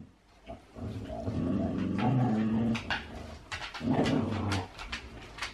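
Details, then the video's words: Huskies wrestling in play, which only looks like fighting: low, rough harmonic growling swells for about a second and a half, falls quiet, then returns briefly, mixed with scuffling and panting-like noise. "Husky wrestling!"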